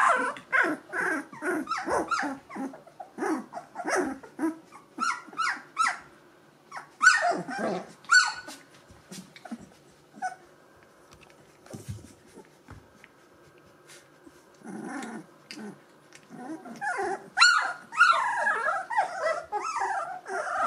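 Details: Gordon Setter puppies, two weeks old, E litter, with eyes and ears open, burst into clusters of squeaky whimpers and yelps, fall nearly quiet for several seconds in the middle, then resume with rising whines.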